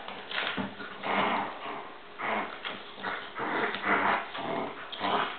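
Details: Two dogs fighting: rough snarling growls in separate bursts about once a second, each a harsh broadband rasp, with short pauses between them, apparently in a small indoor room.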